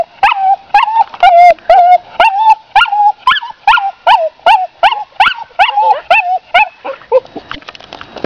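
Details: An English Cocker Spaniel whines after seeing a female dog, with short, nasal, wavering cries sliding slightly down in pitch about twice a second, fading into softer whimpers at the end.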